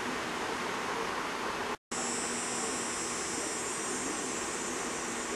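A cicada's steady, high-pitched buzzing drone, broken by a brief silence near the start.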